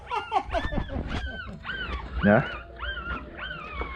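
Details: Newborn puppies, about two days old with eyes not yet open, give high, thin whines that arch up and down, repeated over a man's talking.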